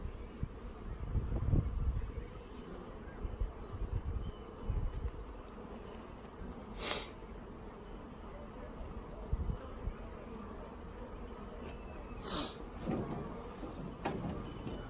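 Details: Honey bees from a package being installed into a hive, with the queen alive among many worker bees: a diffuse low steady hum with broadband rustle, plus two sharp clicks near seven and twelve seconds.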